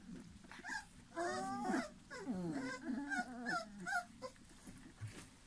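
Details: Airedale Terrier puppies three weeks old, from a litter born November 2018, producing a series of wavering, falling whines and short squeaks, several overlapping, with soft background rustle.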